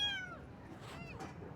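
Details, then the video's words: Baby kitten meowing on a first morning: one short, high meow that starts strong and slides downward, followed by fainter, softer sounds in a quiet room. "Kitten Meows"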